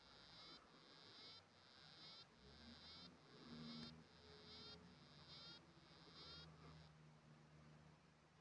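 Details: A male African dwarf frog sings underwater, a series of short, buzzy, high rasps repeated in steady bursts, while a female larger than him swims nearby; February 2024.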